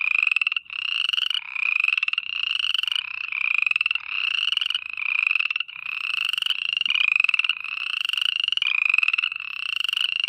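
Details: Steady nocturnal frog calling: harsh, rattling trills strung together almost continuously, slightly rising in pitch within each note, with a brief break near the half-second mark and another near five and a half seconds.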